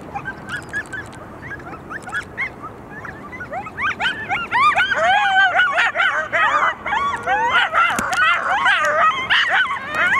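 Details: Coyotes responding to sirens, starting with scattered faint calls that swell into a loud chorus of looping howls and sharp repeated yips from several animals at once.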